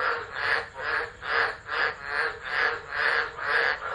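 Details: Frogs singing in a tropical storm at Driver in Australia's Northern Territory, 13 December 2013, captured by an unattended phone. Loud rasping pulses come roughly every half second in a steady throbbing rhythm.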